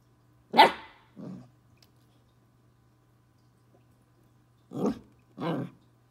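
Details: Twelve-week-old Corgi puppy facing off against a bug: one sharp, loud bark, then a softer short yap, a long pause, and two more mid-pitched barks close together, over a faint steady low hum.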